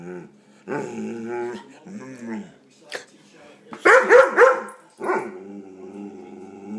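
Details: A domestic dog reacting to an air pump it hates: a drawn-out harmonic groaning whine, a pause, then a cluster of harsh barks and a sliding moan, while a person softly asks what it is.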